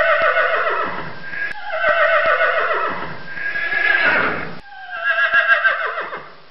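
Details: Horse shown in a Finnish school class's educational film about farm animals: loud, continuous harmonic whinnying in several long wavering bursts, pitch rising and falling, with a final descending neigh trailing off.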